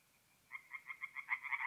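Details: Tree frogs singing at night from a forest pond in north-east Italy in mid-April: after brief quiet, a fast run of nasal, pulsed croaks starts and grows louder to the end.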